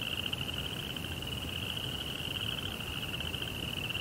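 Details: A steady, high-pitched pulsing chirp of crickets at night runs without pause, with a weaker lower band of pulses and a gentle low rumble underneath.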